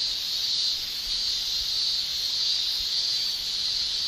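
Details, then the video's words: Japanese cicada males shrilling in summer with their tymbals, a constant piercing high buzz with faint wavering in intensity and nothing else audible. "Japan Summer Cicada Shrilling"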